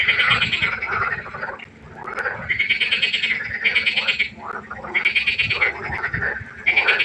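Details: Night frog chorus at a pond: loud, rattling pulsed calls in bursts about a second long, separated by short pauses, with several frogs overlapping and a faint low hum in the background.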